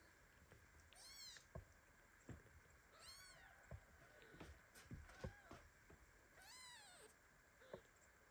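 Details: Baby kitten pinned beneath its mother cat, meowing loudly and indignantly as it shakes and paws in its sleep; repeated high, arching mews roughly every one to two seconds, with soft bumps and shuffling between.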